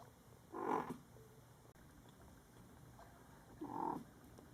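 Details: Kitten Panda with hiccups: two short, soft, breathy bursts about three seconds apart, each lasting roughly half a second, over a steady low background hum.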